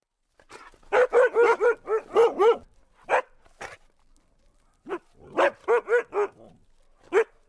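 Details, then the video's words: An Alaskan husky gives a rapid burst of about eight sharp barks, then after a pause a few isolated barks and a second quick run of four or five. "ALASKAN HUSKY"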